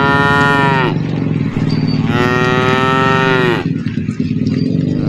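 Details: Tame cattle being herded through woodland give two long bellowing moos, the second lasting about one and a half seconds, over a continuous low droning rumble.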